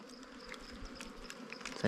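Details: Wild bees during a honey hunt, with sugar water being added to the comb; a steady low buzz hums throughout, joined by faint scattered clicks and rustles.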